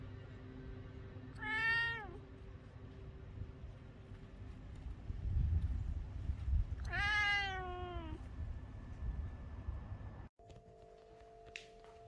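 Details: British Shorthair cat meowing during the day: two drawn-out harmonic meows about five seconds apart, the second longer and wavering, over a low rumble of background hum.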